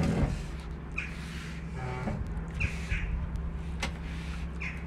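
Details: Kitten calling its mother on an Istanbul street, where it lives as a stray. Thin, high mews about every second or so sound above a rumbling vehicle and constant low city drone.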